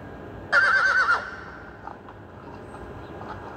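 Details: A young mare calls to a stallion: one brief, vibrating whinny with a wavering, shaky pitch lasting under a second, then quiet with faint knocks.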